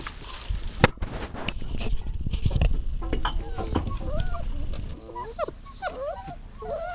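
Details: Dog whining with short, bending, whistly cries that arrive one after another in the second half, after a stretch of thumps and low rumbling handling noise.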